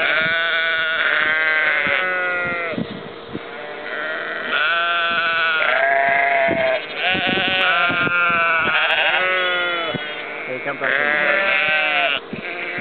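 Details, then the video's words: Sheep and lambs at Ullapool, April 2009, bleating almost without pause. The wavering, nasal calls overlap from several animals in a dense chorus, with only brief dips between bouts. "Sheep Baaa"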